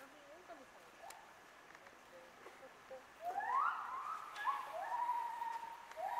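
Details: Wolves at Asahiyama Zoo, Hokkaido, Japan, howling in reply to the morning zoo announcement, filmed on a Nikon COOLPIX B500. Faint talk comes first, then overlapping smooth rising-and-falling howls swell in from the middle and carry on to the end.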